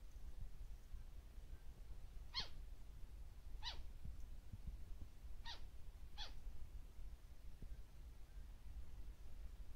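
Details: White-faced flying squirrel, Taiwan endemic subspecies Petaurista alborufus lena, wild on the Beidawushan national trail, Taiwan, 2 March 2018: four short, sharp descending shrieks spaced one to two seconds apart over low rumbling background noise.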